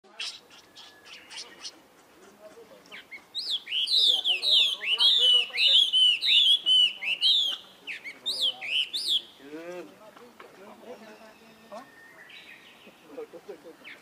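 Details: Young monkey calling its older brother for help: after soft low chatter, a run of loud, shrill arched cries, about one every second, rising and falling in pitch, then fading into quieter squeaks and rustling.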